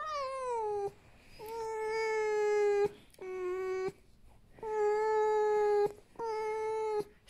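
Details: A rescued female fox named Vasilisa, living in a home after a fur farm, gives five loud, long, clear whines. Each is a steady tone, with one opening slightly higher and sliding down, separated by brief gaps, in a quiet room.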